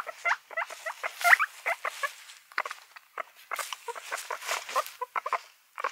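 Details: Guinea pigs, several animals, giving short harmonic squeaks and chirps in quick irregular bursts, one brief higher rising note near the middle, mixed with rustling broadband scratches of movement.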